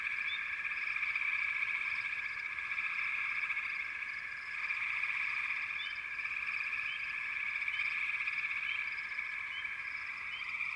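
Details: Backwater frog chorus: an unbroken, many-voiced trilling hum holds steady throughout, with scattered brief upward-sliding chirps popping out every second or so, dipping briefly in loudness midway.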